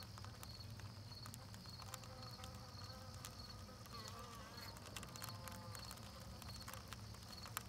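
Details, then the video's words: Bees chewing propolis: a steady low droning hum runs beneath scattered sharp clicks and crackles. A faint, evenly spaced high ticking continues throughout, and a few brief squeaky tones rise near the middle. "Bees chewing propolis"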